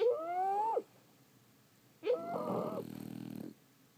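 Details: Sleeping French Bulldogs give a falling, whiny nasal whistle, a short pause, then a longer snore. That snore starts squeaky and turns into a fluttering, rattling rumble.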